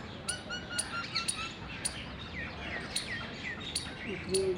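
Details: Indian palm squirrels mating in the wild on 19 February 2021. Sharp, clicking chirps repeat roughly every half second to one second, mixed with thin whistled notes over a steady low background hum.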